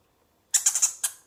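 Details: Djungarian hamster giving a quick burst of very high, thin squeaks: four rapid notes, then one more after a short gap, in otherwise silent surroundings.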